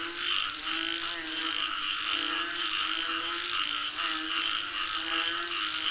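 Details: Many frogs calling for rain together, their throbbing, rattling croaks merging into a continuous pulsing chorus, with a thin steady insect hiss high above.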